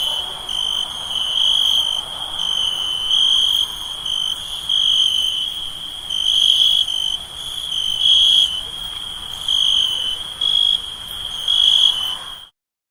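A steady night chorus of insects, a high continuous trill pulsing in volume every few seconds.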